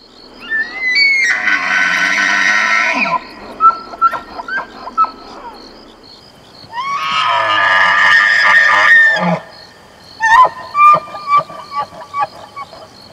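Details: Bull elk (Cervus canadensis) giving two rut bugles in September's rutting season, each a high rising whistle into a harsh, drawn-out scream followed by grunting chuckles: breeding-season rutting call.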